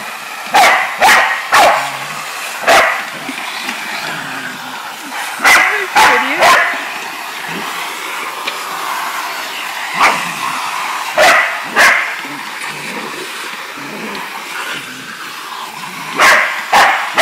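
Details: Ruby, a Shar Pei and Australian Cattle Dog cross, barks while attacking a running vacuum cleaner; sharp loud barks come singly and in quick pairs or triplets, spaced irregularly across seventeen seconds over the steady vacuum roar.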